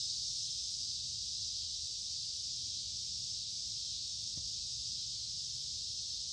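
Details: Noisy cicadas heard on a woodland walk by a creek in humid midsummer warmth: sustained high-pitched electric buzzing throughout, with one brief sharp knock partway through.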